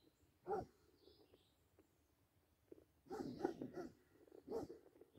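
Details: Basset Hound at play with a deer, one sharp bark early, a quiet stretch, then a run of several rough barks and grumbling noises clustered toward the end; faint high bird chirps in the background.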